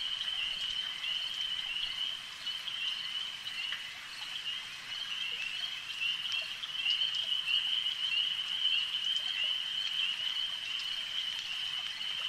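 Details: Massed frogs call beside a lake, their shrill continuous trill growing slightly louder toward the end, with soft pulsing about twice a second beneath the drone.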